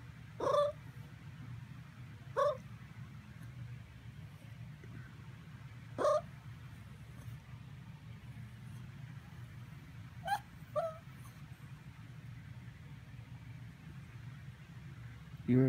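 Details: Miniature Pinscher dog making what are called purring sounds while asking for treats; five short tonal whimpers with bright harmonics come at irregular intervals over a steady low hum.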